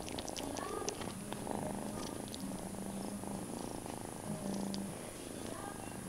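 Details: Domestic cat purring at home while held in a person's arms and licking their hands, foster kittens nearby sharing a cat bed; steady low rumbling purr throughout with soft intermittent mewing tones and faint rustling.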